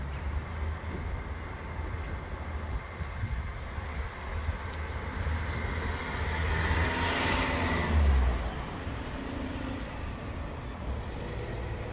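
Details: Continuous roadway traffic noise with a car swelling past mid-way, and no animal sound.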